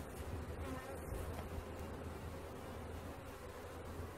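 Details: Buzzing of a bee swarm as it is collected, an even, low, throbbing drone that holds without pause, with light crackles and rustles over it.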